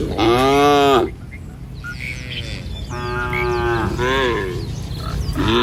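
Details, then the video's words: A herd of tame cattle moves through a village in the morning, heading out to forage. A loud, rich moo opens, then two more moos follow a pause, with scattered bird chirps throughout. "Suara Sapi Mouu"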